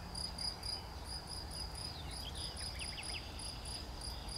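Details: Cricket chirping on 11 June 2020: a steady series of short, high, ringing pulses, about four per second, with a few faint descending chirps of other calls in the middle and a low background hum.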